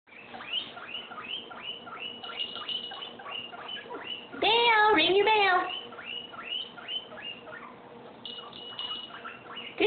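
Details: Guinea pigs whistling for food: rapid series of high, squeaky rising-and-falling wheeks, several per second, with a louder, denser cluster of overlapping squeals midway and a faint steady hum underneath.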